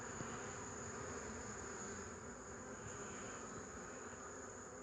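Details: A thick, even drone of numerous honey bees on 8 March 2015, steady throughout with no pauses or other clear sounds.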